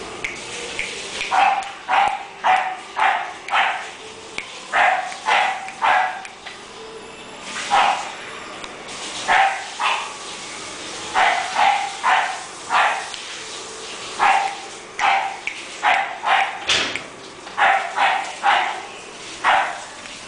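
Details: English Bulldog puppies barking: short sharp barks and yips in bursts of two to four, repeated irregularly throughout, over steady background hiss.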